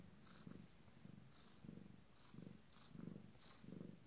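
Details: Purring from a female Abyssinian cat minutes before delivering her first litter. Six throaty, low buzzing bursts come in four seconds, roughly one every two-thirds of a second, with faint soft clicks above.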